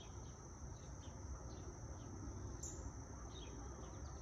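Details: Short stretch of cicadas in trees with wind and light traffic, quieter overall; the even high-pitched buzz persists throughout, with soft low rumble, faint scattered chirps and a brief sharp higher burst midway.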